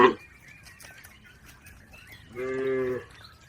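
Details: Herded cattle crossing a river on the way to the livestock pen; a single half-second harmonic moo near the end, with faint chirping birds in the background.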